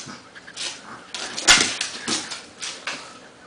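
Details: Indoor play-wrestling match between a pug and a Bernese Mountain Dog; short noisy growl and snort bursts, one loud sharp burst near the middle, then softer huffs.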